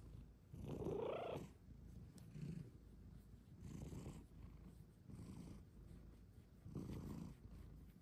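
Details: Female Bengal cat Luxey cuddles in a cat cave, purring loudly: a low, rough rumble swelling in pulses about every one and a half seconds, the first swell strongest and slightly voiced.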